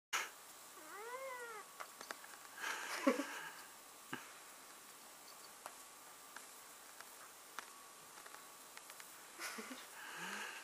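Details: Indoor pet male cat objecting to being held and kissed gives one clear arched, drawn-out meow near the start, then brief shorter cries a few seconds apart, with handling rustles and clicks between.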